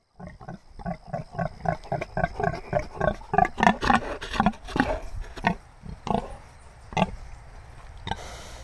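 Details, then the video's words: A large, vocal pig on a farm grunts in a quick run of short, harmonic, roughly evenly spaced bursts, about three a second. The grunts then slow into a few scattered, louder ones near the end. "Large vocal pig"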